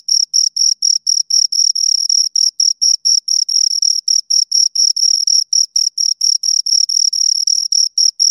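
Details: A pair of crickets sings at close range, steady high shrill pulses repeated rapidly, some chirps running together as the two callers overlap; background otherwise silent.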